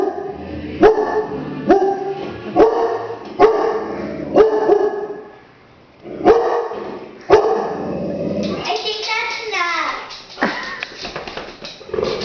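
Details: Dog barking and growling whenever it walks past and notices a mounted deer head on the wall; sharp, deep barks repeat about once a second, break off briefly, resume, then give way to higher, sliding whiny sounds mixed with voices.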